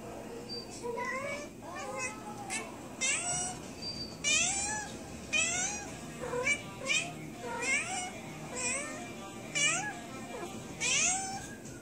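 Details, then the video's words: Female cat, recently spayed and unwell from an infected internal suture, complaining of pain while a second cat comes to check on her; a steady stream of short, plaintive meows, about one per second, rising and dipping in pitch. "My cat trying to tell me she is in pain"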